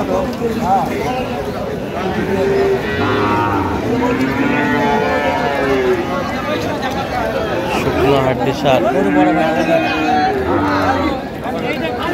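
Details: Several deep, drawn-out moos from cows at Aftabganj cattle market, 1 November 2025, with lean, bony cows on sale, repeating every few seconds against a steady murmur of voices and crowd noise.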